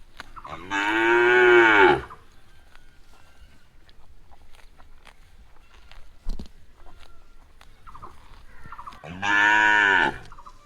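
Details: Cow gives two loud drawn-out moos, one at the start and one near the end, each harmonically rich with a slight rise and fall in pitch; the quiet gap between holds faint clicks and rustles.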